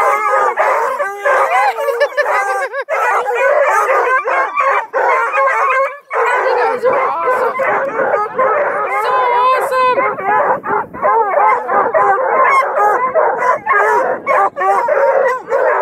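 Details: Two dozen coonhounds and beagle mixes baying, barking and bawling at a hound breeder's kennel near Kingston, Ontario: sustained layered howls mixed with choppy barks, waves of wavering tones rising and falling throughout.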